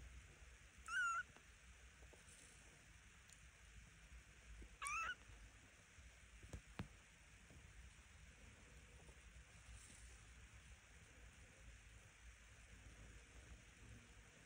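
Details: Two-week-old Devon Rex kittens give two short high mews about four seconds apart, each with a rising-falling contour, then quiet rustling and faint background noise.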